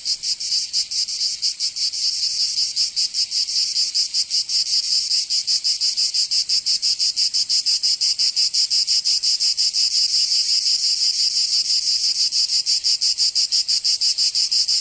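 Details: Cicadas of southern France's Provence in summer: an intense high-pitched sizzling chorus beating in quick regular pulses, about three per second, swelling slightly at the start.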